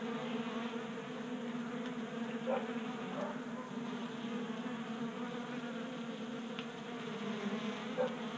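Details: Honey bees feeding at a 3D-printed tabletop feeder on a workbench in a Colorado garage during a warm January spell; a dense, steady buzzing drone of many wings with layered hums, occasional louder passes as individual bees fly close.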